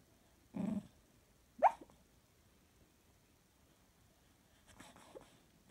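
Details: Dreaming Jack Russell Terrier named Jake: a low, muffled woof, then a sharp rising whine a second later, followed by soft snuffling breaths near the end, all quiet against a hushed background.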